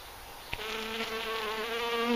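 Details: Feeding bees give a continuous harmonic buzz that starts after a brief click and holds steady, rising slightly in pitch and loudness toward the end.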